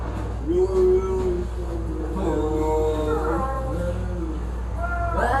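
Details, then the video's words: Cats in a fight give low, wavering yowls that stretch on and rise and fall slowly, ending in a sudden rising wail. "Cat Fight with horrible sound"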